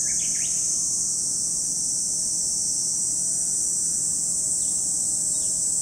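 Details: Steady high, sizzling cicada chorus at Lake Kamo in Sado City, Niigata Prefecture, Japan, opening with a quick cluster of bird chirps before the unbroken drone continues alone.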